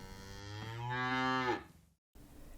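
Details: Zebu mooing: one drawn-out, low, harmonic moo of about a second that swells in loudness, then cuts off into a brief silence followed by faint background sound.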